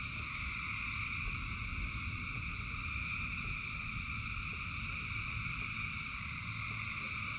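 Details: Frogs in large numbers calling during rain: an unbroken, even wall of shrill, ringing trills layered at several pitches, holding steady throughout, above constant low drumming of falling rain.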